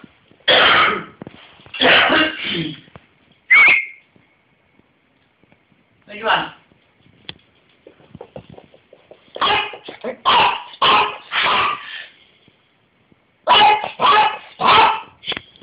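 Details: A 15-year-old toothless Yorkshire Terrier with failing eyesight, who jumps as he barks, gives sharp, high yaps in bursts of two to four, each followed by a brief silence. A short whistle is heard once near the start.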